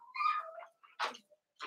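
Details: Eight Cavalier King Charles Spaniel puppies from two litters, Daisy's and Robin's, together during play time; a tonal whine falls in pitch, then two short rough squeaks and noisy bursts follow.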